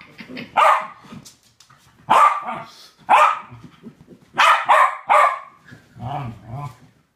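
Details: Playful barking from a pair of West Highland White Terriers during a game: single and doubled sharp barks spaced roughly a second apart, with softer grumbling growls between and a low rumbling growl near the end.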